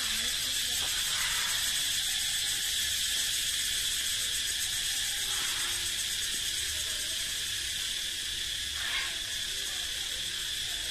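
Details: Male cicadas in a forest drone in a steady, high, shimmering buzz without pause. The call advertises the male's strength and fitness, and each species sounds different.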